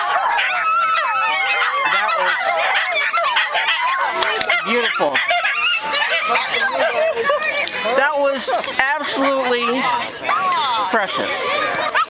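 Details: Several Miniature Schnauzers at a get-together in the Seattle area join in a pack howl after one starts, giving overlapping, wavering, sliding howls at shifting pitches, with people talking and exclaiming throughout.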